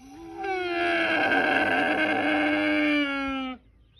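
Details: Camel giving one long, loud, moaning call lasting about three seconds, steady and rich in overtones, starting abruptly and cutting off sharply at the end.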